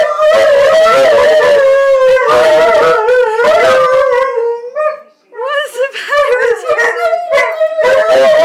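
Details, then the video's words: Seven-month-old Alaskan Malamute and an eight-year-old Husky, Chow, Wolf, Shepherd mix singing together, talking back and forth: long wavering howls overlapping, then a pause and shorter yodelling, rising-and-falling yips and howls. "Alaskan Malamute and Husky Mix Singing"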